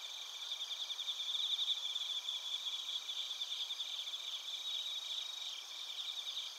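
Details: A chorus of crickets and bell crickets in Narita, Chiba, Japan, captured with a TASCAM Portacapture X8: continuous shrill, tinkling trills at several stacked pitches, steady pulsing with a brief swell in loudness early on.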